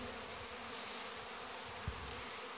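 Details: August orientation flight of young honey bees, recorded 17 August 2019, many bees in the air before the hives. A thick, constant humming buzz that swells slightly midway, with a sharp low knock near the end.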